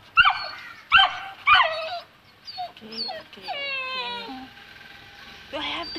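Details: Two-month-old Saint Bernard puppy, afraid to go down stairs, gives three sharp high yelps about half a second apart, then a run of thin falling whines and a final short whimper, with quiet coaxing human speech nearby.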